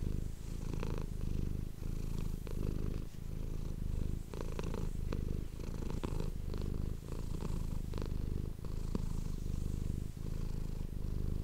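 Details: Domestic cat purring continuously, recorded up close on a microphone: a steady low rumble broken into inhale and exhale phases about every second, with faint soft rustling and clicks on top.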